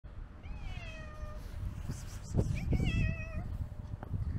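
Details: Old male tabby cat crying from hunger on a snowy day: two drawn-out, wavering meows, the second rising then holding steady, over a constant low rumbling background with a few soft thuds.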